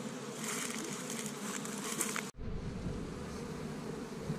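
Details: Busy honey bees at an established Michigan hive on a warm spring day, collecting pollen from tree buds; a continuous buzzing drone that breaks off abruptly midway, then gives way to a rougher, lower rumble with fainter humming.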